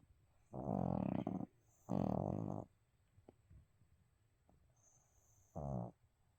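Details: Snoring from Abel, a sleeping pet dog: three rough, buzzy snores, the first two nearly a second each and a shorter third, separated by quiet breathing.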